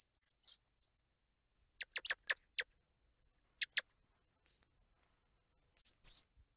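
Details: Squirrel monkey giving a string of high, rising squeals at the start, then a burst of short, snappy chirps, followed by sparse squeals with silent pauses in between.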